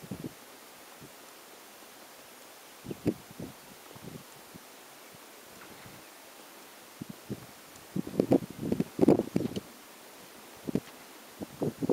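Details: Wind and rustling outdoors, with scattered bursts of handling or brush noise and no clear animal calls.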